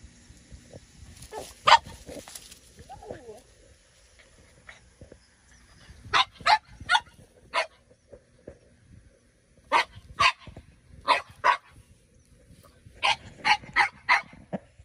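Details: French Bulldogs at play under a grape pergola in a garden during morning watering: one-year-old Minnie Rose wanting to play with ten-year-old Sami. Sharp, short barks come in quick bursts of three to five, separated by pauses, with faint voices between.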